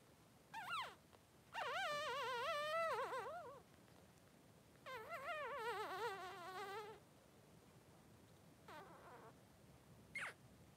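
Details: Newborn Blenheim Cavalier King Charles Spaniel puppies, 3 days old, in a whelping pen with their mother Pom-Pom: high wavering squeals and whimpers in two long bursts of about two seconds each, plus brief short yelps between them.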